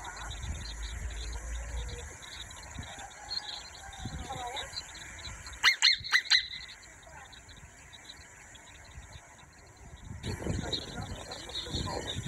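A marmot gives a quick burst of sharp, high, scream-like squeals amid a murmur of background noise.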